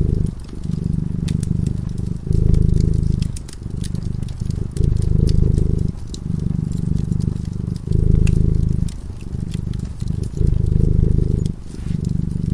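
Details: Purring cat in slumber near a flickering fireplace: a steady low rumble pulsing in repeated swells with each breath, around seven cycles, set against scattered snaps and crackles of the flames.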